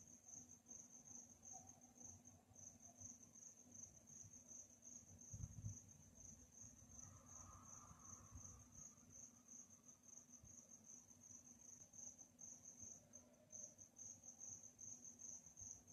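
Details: Crickets at night in a calm setting: a steady, high, pulsing chirp trill runs unbroken through the whole stretch over a soft low background hum, with a faint lower murmur near the middle.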